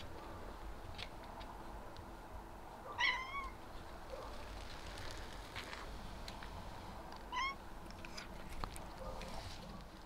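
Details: A tuxedo cat, with others happy with a box and the snow, gives two short meows with rising then falling harmonics about four seconds apart, over faint background noise.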